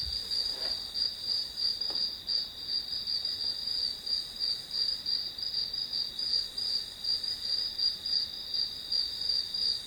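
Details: Grass insects singing as a one-hour study-session background: a steady, high-pitched pulsed chirp repeating about three times a second, with a faint hiss of other insects behind and no other clear sounds.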